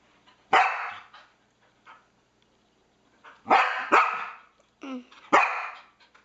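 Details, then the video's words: A Norwegian Elkhound barking indoors at a PS3 pointer gives loud, sharp barks, one alone and then a quick burst of several. "Elkhound Dog Barking at PS3"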